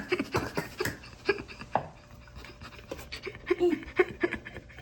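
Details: Indoors in a small Canadian Rockies town, the Shiba Inu Sora carefully checks its own birthday balloons, giving quick irregular huffs and panting breaths with a few brief soft tonal squeaks, close to the microphone.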